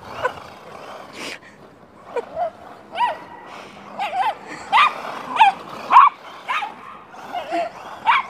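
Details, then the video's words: Welsh Terrier frantically chasing a remote control car, letting out a run of short, high, whining yips and squeaky barks in quick irregular bursts, roughly two per second at times. "Welsh Terrier Frantically Chases Remote Control Car"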